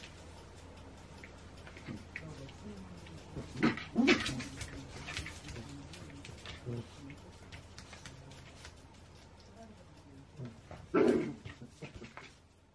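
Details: Two Shetland Sheepdogs, Rhea and Sammy, playing indoors on 28 January 2016; two sharp, harsh bark-like bursts, one near the start and a louder one near the end, with quieter scuffling and low rumbling between them.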